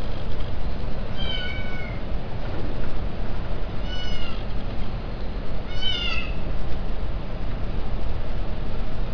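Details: Male domestic cat at mating calling three plaintive, wavering meows about two seconds apart, the last slightly rising, against steady heavy low-pitched background hum.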